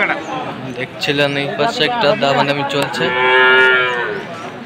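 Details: At a Khulna cattle sale in Bangladesh on 7 January, Sahiwal bull calves are heard; layered harmonic moos bend up and down, with a long drawn-out call in the latter half over a busy crowd.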